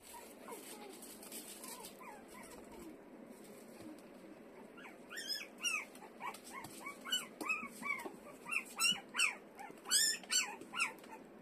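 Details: Kaninchen Dachshund × Toy Poodle mixed-breed puppy; soft thin whines early, then a run of loud, high, rising-falling yelping squeals repeated about every half second.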